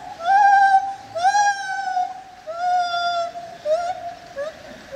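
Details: Lar gibbon at the zoo in Opole giving long, sustained, slightly quavering hoots, each held for about a second, followed by shorter rising notes near the end.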